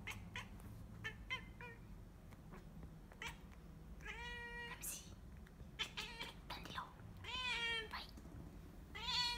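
A Bengal cat gives drawn-out, wavering meows among scattered clicks and thumps.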